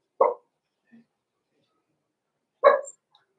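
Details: Six-week-old blenheim Cavalier King Charles Spaniel puppies, Roman and Blue, born November 14, 2022, in a home puppy pen: two short, sharp barks about two and a half seconds apart, with near silence between.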